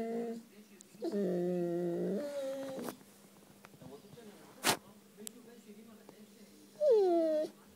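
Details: Siberian Husky named Messi vocalizing for affection indoors: one long, steady, wavering howl lasting about two seconds, then quiet with a sharp knock, and a brief rising-then-falling yelp near the end.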